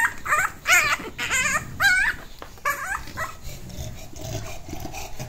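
An English Bulldog puppy gives a run of high, wavering yelps and whiny howls.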